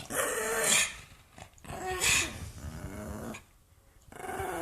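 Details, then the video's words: Mad pug making harsh, hissing, snorting growls: two loud noisy bursts close together, then a lower rumbling stretch, a pause, and another growl at the end. "Pug noises"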